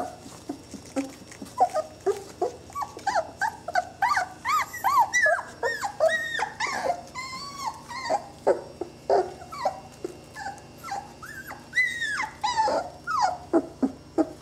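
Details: Several Saluki puppies aged 20 days whimper and squeal almost nonstop, their overlapping high, bending whines and yelps forming a busy, restless chorus from the litter.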